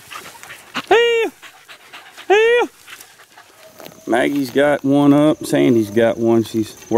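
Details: Beagle pups of four months, worked in the wild in 2013: two high clear arching yelps, then a lower, rougher chorus of overlapping bays from several dogs.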